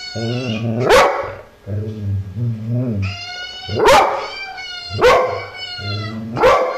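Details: Dog answering a puppy with deep, rough barks and low groaning vocalisations, mixed with high harmonic yelps and whines, in uneven bursts about once a second.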